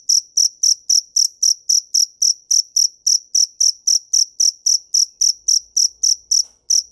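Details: Loud, piercing cricket chirps in a fast, metronome-like series of roughly twenty-five pulses, each a short ringing burst, against near silence.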